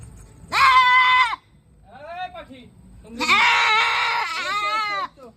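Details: Two long, quavering goat bleats, the second rougher and longer, with softer vocal sounds and human speech in between.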